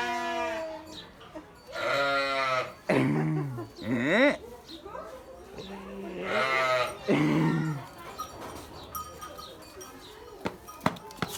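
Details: Sheep give wavering, nasal bleats, two or three in quick succession early on, then another cluster midway, followed by quieter sounds with sharp clicks, as people talk nearby.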